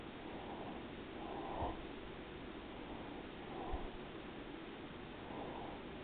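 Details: A resting pet cat, Daisy, giving a faint low purr that pulses with slow breaths about every two seconds, broken by a couple of small sniffs or taps.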